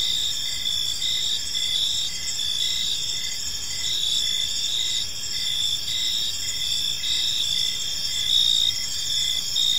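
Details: Crickets in a peaceful park as evening falls: an unbroken shrill trilling chorus with evenly spaced chirps roughly twice per second, loudness steady throughout.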